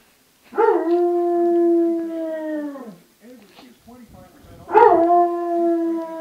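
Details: Basset Hound home alone, howling on a weekend morning: two long, steady, slightly falling tonal howls, each about two seconds, separated by softer whimpering sounds.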